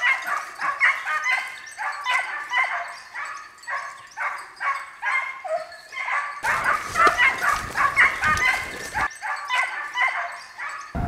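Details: Segugio Italiano hounds giving tongue on a hare hunt in Italy, a steady run of sharp, ringing barks about two per second, several dogs overlapping, with a burst of rougher, noisier sound midway.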